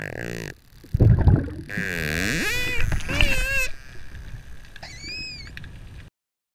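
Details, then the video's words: Dolphin giving a victory squeal as it takes a fish after closing in with a terminal buzz: a loud broadband burst, then wavering, harmonic-rich squeals sweeping up and down, and a brief higher whistle near the end. "Dolphins squeal with delight"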